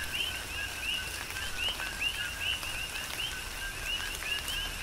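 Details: Coqui frogs in a tropical downpour on Hawaii's Big Island, giving repeated co-KEE calls, a low tone then a higher upswept whistle, overlapping among several callers, with steady rain and scattered drops beneath.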